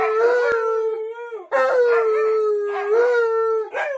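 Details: Alaskan Malamute indoors following its owner to the bathroom, giving long drawn howls near one pitch, three sustained phrases each about 1.5 seconds with a lift at the start, then laughter.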